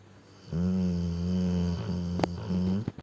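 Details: Deep, steady drone from a sleeping Cane Corso named Ponchik, snoring heavily indoors; one long low snore over two seconds with a brief click and a short break near the end.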